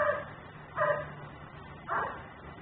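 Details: Nuisance dog left outside in Mecklenburg, caught by a camera that records in ten-minute cycles; three muffled, distant barks at roughly one-second intervals over a low background hum.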